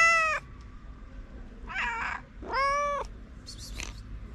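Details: Hungry stray cats awaiting food outdoors call out: a strong meow, then a rough, wavering cry and a long, even meow, ending with a short high squeak over low background noise.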